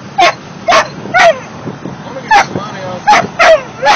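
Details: Mastiff puppies, 16 weeks old, singing together in a series of seven short, yelping bursts with slightly falling tones, spaced unevenly over four seconds, with quiet background noise between calls.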